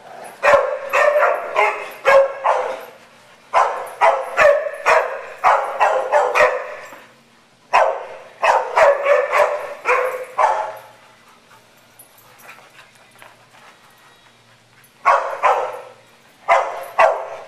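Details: Several dogs, led by a tri-color mixed-breed, romp and play at a dog day care in Stow, Ohio; bursts of rapid, sharp barks repeat in clusters of a few seconds, separated by short quiet gaps.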